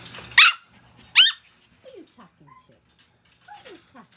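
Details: Puppies let out two sharp, high yelps about a second apart, followed by a scatter of soft, short squeaks and thin descending whimpers over a quiet background.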